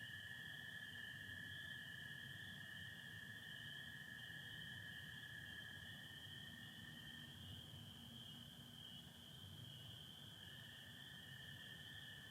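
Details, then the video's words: Spring peepers calling at night in Michigan on 24 April 2025 alongside American toads, under stars and partial overcast; a dense, unbroken high peeping chorus runs steadily throughout over a lower continuous toad trill and soft low rumble. "Sounds of spring peepers and american toads"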